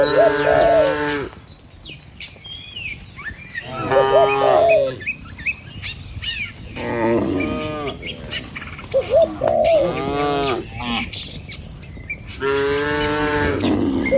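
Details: Herd of cattle walking along a village road toward the pen, surrounded by trees and rice fields; repeated long, harmonic moos from several animals, some rising and wavering, with bird chirps between calls.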